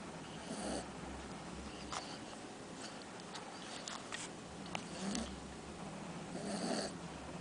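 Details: A Cocker Spaniel snores while asleep and dreaming, with slow, rumbling breaths that swell and fade every couple of seconds.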